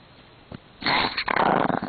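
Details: Pomeranian kept as a pet, growling in anger over his beloved string being taken away; after a soft thump, a loud, harsh, continuous rattling growl fills the final second, rough and throaty in a small room.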